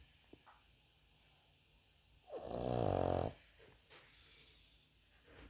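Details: One drawn-out, rough, vibrating snore lasting about a second from a sleeping Cavalier King Charles Spaniel, with near silence before and after.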